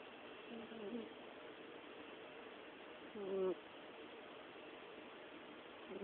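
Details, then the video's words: Orange cat asleep and snoring, a coo-purr-snore: soft low murmurs near the start and end, with one louder brief tonal coo, rising then falling, about halfway through. "the Orange Cat snores"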